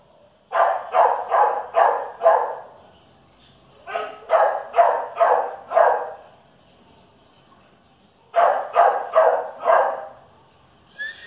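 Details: A Chihuahua and a dachshund square off, producing three bursts of rapid, sharp barks, four to six per burst at roughly two barks a second, separated by short pauses.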